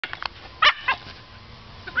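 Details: Pet dog chasing a huge blue ball, barking in frustration because he cannot get it into his mouth; two sharp, loud barks close together mid-clip, faint yips at the start and another bark at the end.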